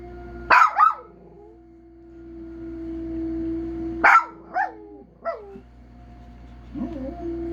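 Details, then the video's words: Scattered howl-barks from a pet dog, each a sharp onset with falling yodel-like tails, about four in seven seconds, over a steady low tone in the background. "Howling Trump...."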